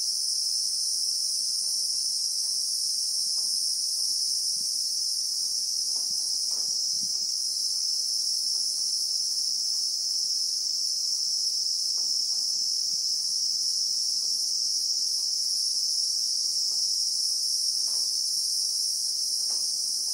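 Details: Christmas beetles (Anoplognathus) in the South African bushveld among acacia trees, recorded in real time: a steady, shrill, unbroken high buzz hangs over the whole stretch, with faint scattered ticks and rustles underneath.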